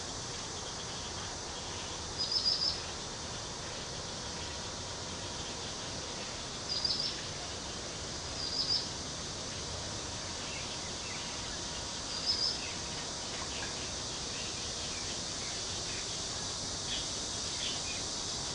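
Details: Cicadas calling in a local park near Cheng Ching Lake, Kaohsiung: a steady, unbroken high hiss fills the whole recording, with a few brief, high bird chirps breaking through around the second and seventh to twelfth seconds.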